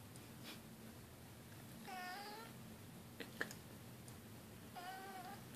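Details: Domestic cat meowing indoors: two drawn-out, harmonic-rich meows around two seconds and five seconds, with soft clicks and faint background hum between them.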